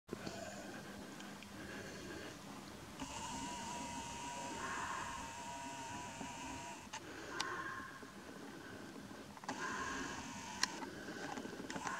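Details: Steady mechanical humming and whining, like a passing train or machinery, with no animal voice.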